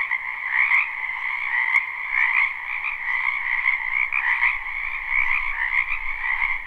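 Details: Frogs crowding a spring wetland croak together in a thick, continuous trilling chorus, recorded live without looping; a couple of sharp clicks stand out, and a low rumble enters near the end.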